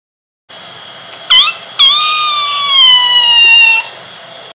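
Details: Young female kitten Carra, newly brought home on her first day, lets out a brief squeaky meow and then a long, loud, drawn-out meow that sinks slowly in pitch before stopping.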